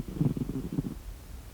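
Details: Sleeping cat snoring, a brief low rumbling breath with pulsed, fluttering texture lasting under a second, then a quiet room.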